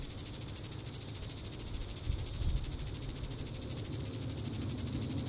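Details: Evening call of a Diceroprocta vitripennis cicada, Sand Hills State Park, Reno County, Kansas, 20 July 2014; a steady shrill buzz made of fast, regular pulses, with faint low background rumble.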